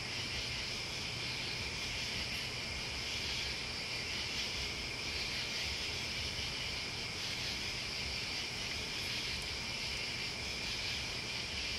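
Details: Crickets and other bugs form a dense, steady outdoor chorus, a continuous high shimmering buzz with no clear breaks, over a faint low hum.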